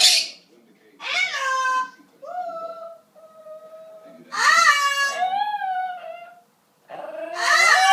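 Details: Shih Tzu named Foofie singing along with a parrot named Bapy indoors: drawn-out, wavering harmonic howls rising and falling, several long phrases separated by short pauses, with squeaky mimicking notes mixed in.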